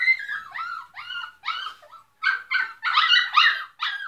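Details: Several dogs barking very loudly: high-pitched, strongly harmonic yelping barks in quick uneven bursts, several per second, with short gaps between groups.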